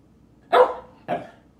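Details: Thomas the dog, asked to speak, answers with two short, sharp barks about half a second apart, the first louder and longer than the second, against a quiet background.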